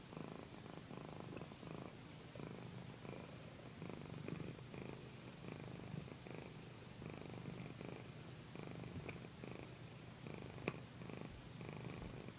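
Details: Pandy the cat, a loud purrer, relaxing during an ASMR pillow massage: continuous low rhythmic purring, each breath-cycle rising and falling evenly, with a single sharp click near the end.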